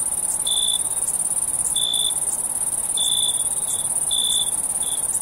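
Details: Crickets chirping at night in summer in a forest: short, bright, high chirps in uneven bursts about once a second, over a steady shrill high-pitched hiss of more insects.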